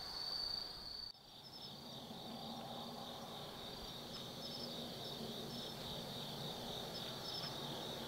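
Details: Autumn night insect sounds in Tsukimi no Mori forest, Gifu, Japan; after an abrupt cut near the start, a softer, lower mixed chorus of buzzing trills with short repeated high chirps several times a second over a low rumble.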